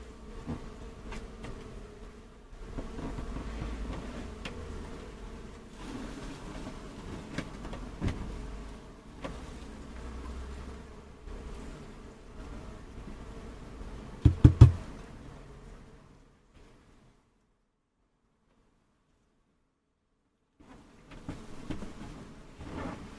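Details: A honey bee swarm being caught: a dense, low droning hum with faint overtones fills the first quarter-minute. Sharp knocks sound near the middle, then a stretch of near silence before the humming returns.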